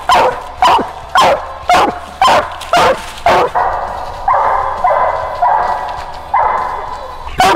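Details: Female coonhound on a coon hunt, about 450 away, giving a big locate bark before treeing. Sharp barks come about twice a second, then give way to longer drawn-out bawling barks.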